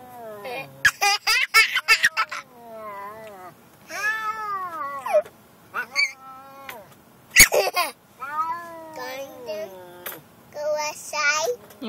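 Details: Gilligan, a pet cat, angry while riding in the car to the vet, gives a run of loud, arching meows that rise and fall, several in quick succession, with a child and an adult talking between and over them.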